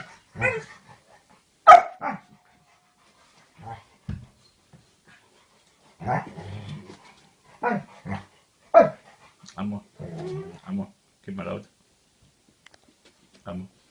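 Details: Dogs Amor and Queenie scuffle after a bone theft, one harassing the other: repeated short barks mixed with low growling grumbles in irregular bursts separated by brief quiet gaps.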